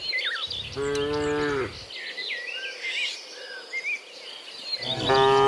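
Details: Cattle heading back from the field to the barn in the morning; one steady, rich moo lasting about a second, then a second moo beginning near the end, over constant bird twittering and chirps.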